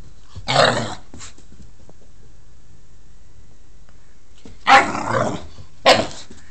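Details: Pit bull making silly noises while playing with a cat: a short rough growl-like burst, then after a three-second pause two more broadband grunting bursts close together; quiet room otherwise.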